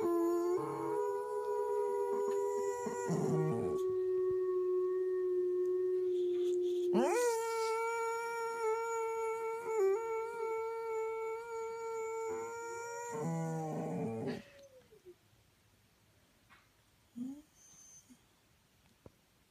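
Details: Dog howling indoors in long held tones: one steady note for about seven seconds, then a louder, slightly higher howl lasting another seven seconds, with a few soft whimpers afterward.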